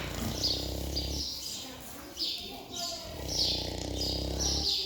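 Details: Dozing pig on a brief siesta snores in low, rough breaths, one at the start and another later, while birds chirp in high bursts in the background.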